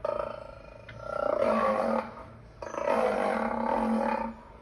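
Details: Two long, rough roars from a lion, each lasting over a second with a strong throaty tone, the second one holding steady before it fades.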